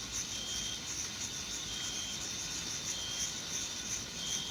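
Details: Crickets in a meadow in June give a soft, continuous high-pitched shimmer, a dense steady chorus with faint flickering pulses and thin whistled lines from distant birds.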